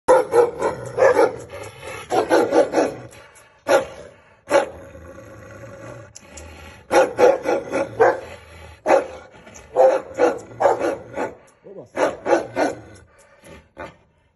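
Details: Aggressive Gaddi dog barking in clustered volleys: deep, rough barks in rapid bursts of three to five, separated by short pauses and single isolated barks, loud and close throughout.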